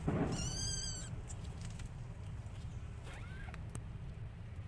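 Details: Orphan kitten nursing from a mother cat while trying hard to start walking; one clear, high, steady mew rich in overtones lasts about half a second, followed later by a fainter short rising squeak over a low rumbling background.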